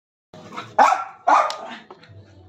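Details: An angry German Spitz dog gives two loud, sharp barks about half a second apart, with quieter rustling before and after.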